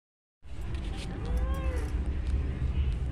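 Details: Pet cat named Mufasa talking with its owner gives a single short meow that rises and then falls, heard against a steady low rumbling background noise.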